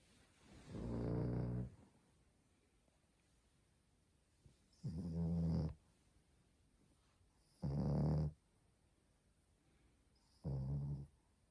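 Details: A sleeping female French Bulldog puppy, born April 2020, snoring indoors: four deep, rasping snores about every three seconds, each lasting close to a second, with quiet breathing gaps between and no music.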